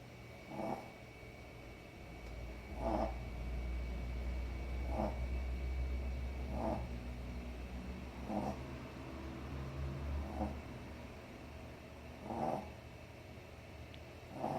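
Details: A sleeping dog snores in rhythmic nasal snorts roughly every two seconds over a low, steady rumbling hum, with a faint constant whine in the background.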